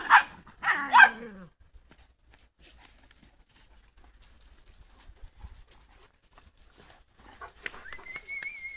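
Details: Giant Schnauzer from the Blackmoore R litter gives a burst of short harmonic yelping whines in the first second and a half, then falls quiet before one thin, high whine rises and holds steady near the end.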